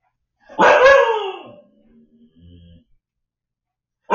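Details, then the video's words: Shadow, a Siberian Husky puppy left alone at home while the family was out at dinner, lets out a single loud yelping bark that slides downward in pitch, followed by faint low sounds and quiet. "husky puppy left home alone freaks out!"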